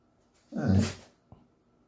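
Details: Male Schnauzer indoors 'talking' to his owner because he wants to be walked: one low, growly, drawn-out moan lasting about half a second, then a faint click.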